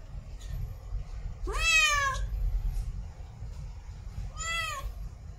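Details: In heat, a female cat gives mating calls: two loud harmonic meows about three seconds apart, the first long and wavering with a falling end, the second shorter, against a low constant hum.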